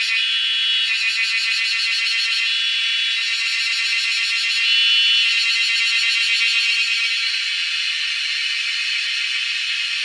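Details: Wild cicadas making a loud noise while being hunted. A dense, continuous high buzz runs throughout, with fast rhythmic pulsing and brief swells in intensity. Nothing sounds below it.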